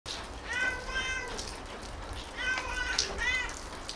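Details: Tabby cat talking in meows: two pairs of clear, drawn-out mews, each bending up then down, the second pair after a short pause, with a brief human remark.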